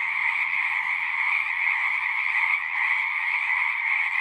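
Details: Frogs chorusing at a pond in a horse pasture, recorded on a Zoom 6: a dense, unbroken wall of overlapping high trills and croaks that holds steady throughout, with no pauses and no other sounds.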